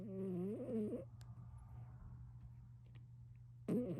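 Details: Greyson the house cat snoring on a lazy day: a rough, wavering snore whose pitch slides upward lasts about a second. A quiet pause with faint rustles follows, then the next snore starts, all over a constant low hum.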